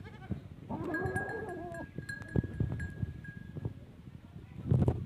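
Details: Goat bleating during a first-time mating with a teddy goat in Punjab province, Pakistan: one wavering, quavering bleat of about a second, over low rumbling handling noise and a steady high tone.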